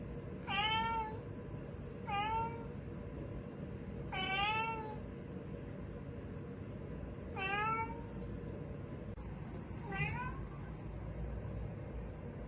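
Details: Cat meowing while looking for something: five loud, harmonic-rich meows, each bending down then up in pitch, at irregular gaps of two to three seconds against a low steady hum.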